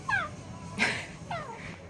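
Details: A small Pomeranian, Chihuahua and Maltese mix dog, possessive over toys it wants to play with, makes little high whining noises: two thin falling whines with a short noisy squeak between them, a man speaking Thai nearby.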